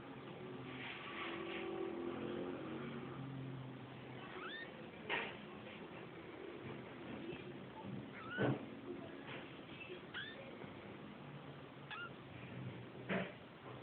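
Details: Persian kittens, the fluffy babies of Lalah, give short thin mews that sweep up and down, scattered every second or two through the second half over a low indoor hum with faint background murmur.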